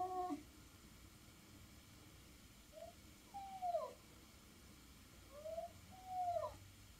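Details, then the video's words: Roy, a Norwegian Forest Cat from Hungary living in Switzerland, asking for food indoors: a series of soft, short meows, some rising and some falling, spaced over several seconds in a quiet room. "Give me FOOD Please!!! - Roy"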